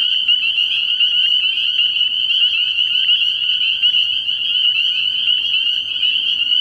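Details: Many spring peepers chorusing after dark at a pond early in the year: piercing, whistled peeps rising briefly and overlapping thickly, giving a constant shrill drone with slight pulsing.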